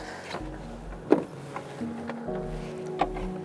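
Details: Sustained musical tones with a few sharp clicks and knocks; no animal voice is heard.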